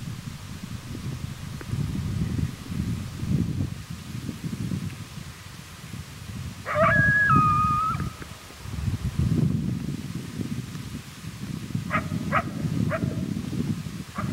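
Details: At daybreak, one of a pair of coyotes angered by callers too close in their territory gives a challenge howl in reply, wavering tones followed by sharp barks, over heavy wind rumble.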